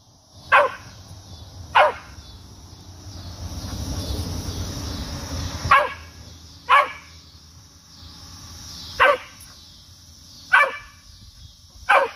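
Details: Cocker spaniel trying to reach a cicada on an apple tree, giving seven short sharp barks at uneven intervals over a constant high-pitched cicada drone, with some rustling in the middle.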